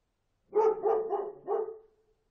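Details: Dog barking: a quick run of four mid-pitched barks over about one and a half seconds, the last one trailing into a short whine, with a quiet background.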